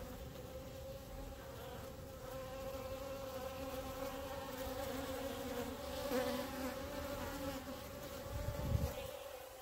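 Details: Steady droning hum from a mass of honey bees clustered on the grass in front of the hives, even buzzing tone throughout with a brief thump of handling near the end.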